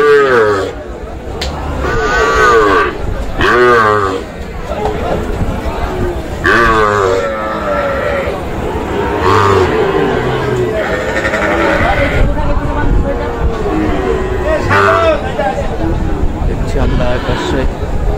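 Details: Sahiwal bull calves at a Kushtia farmer's purchase on Friday, 9 June. Scattered moos, some short and some drawn out, mix with steady chatter from people and low rumbling background noise.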